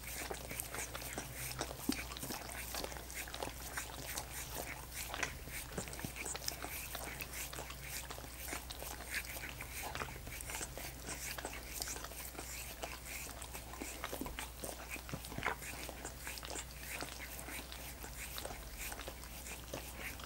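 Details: Several dogs work at frozen coconut water popsicles, their tongues making continuous sticky lapping and crackling clicks with small louder smacks, a constant low-pitched hum underneath.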